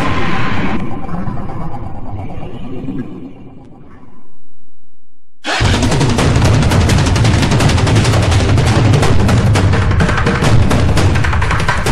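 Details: Loud music mixed with rapid gunfire-like bursts and booms, after a short quiet break near the middle; no animal voice can be picked out.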